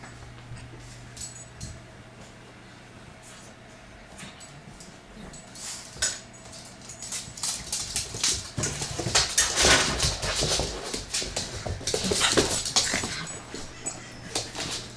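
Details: Indoor wrestling match between Aggie, a bloodhound puppy, and pug Mazy, with a second pug, Oby, displeased; quiet start with a low hum, then dense snorts, grunts and scrabbling build to loud flurries around the middle and near the end.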